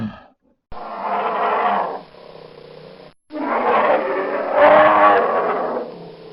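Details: Two long, rough, throaty roars from a brown bear, each a few seconds long with a broad harsh tone, separated by a short silence; the second swells louder toward its end.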